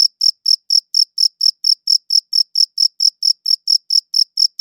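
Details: High, shrill cricket chirps from a good audio recorder, repeated rapidly and evenly, roughly four per second, forming an unbroken pulsing series in otherwise clean quiet.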